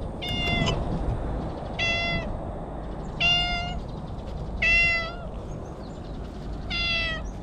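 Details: Stray cat calling from bushes, talking in cat language: five clear harmonic meows, each about half a second, repeated roughly every one and a half seconds over steady low background rumble.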